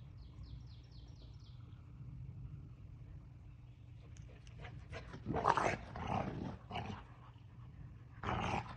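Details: Six-month-old Central Asian Shepherd puppies of litter O on their birthday. Low noisy background, then several short rough growling bursts after the fourth second, with a final burst near the end.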